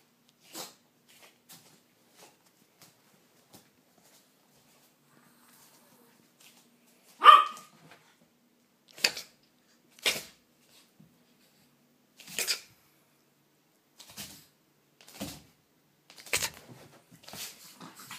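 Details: Several pet dogs playing: scattered soft taps and scrapes, one sharp bark midway, then a run of quick broadband thuds and clicks from the romp.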